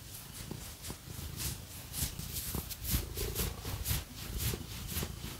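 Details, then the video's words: Domestic cat purring while a person scratches it with fake nails; a low, rumbling purr sits beneath loud, rhythmic scratching strokes that repeat about twice a second, indoors, no talking. "Scratchy Cat Massage | 🐈 Lots of Purring"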